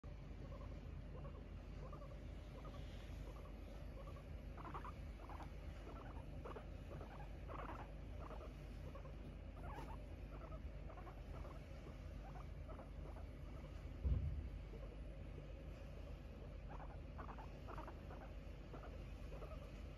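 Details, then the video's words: Pet guinea pig named Kiibow, stretched out and relaxing at home, filmed 4 January 2022, gives a run of soft, short, low chirping notes repeated in irregular bursts over a steady background hum. "モルモット伸びてた Relaxing guinea pig"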